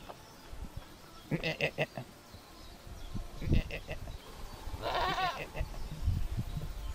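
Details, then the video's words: Cameroonian goat, a dwarf domestic goat (Capra hircus), described as laughing: short quavering bleat bursts around one and a half seconds in, then a longer wavering bleat near five seconds, over soft rustling and handling noise. "Cameroonian goat laughs"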